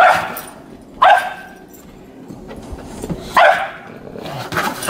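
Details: Webster, a pet dog on shoveled snow paths, barks to coax another dog, Calvin, into play: sharp, short barks with a yippy edge, four bursts spread unevenly across the span, and faint outdoor rustling between them.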